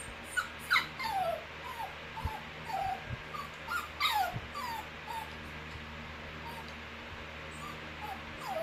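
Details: Bichon Frise puppy, female, under one year old, whining: a series of high, thin whines that slide downward, several bunched in quick bursts with short pauses, over a steady low hum.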